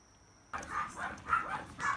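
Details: Long-coated female Chihuahua puppy, born 19 July 2018, eating dry solid food indoors; after a half-second hush come three short, high, sharp yips spaced roughly half a second apart, each rising and falling quickly.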